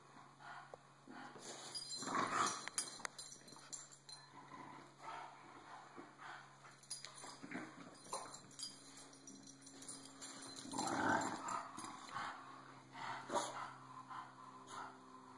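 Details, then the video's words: Bulldog Cisco, tired of being bullied, lets out drawn-out whining grumbles, loudest around two and eleven seconds, between quieter scuffles and a low steady hum. "Cisco, the bulldog, gets tired of being bullied"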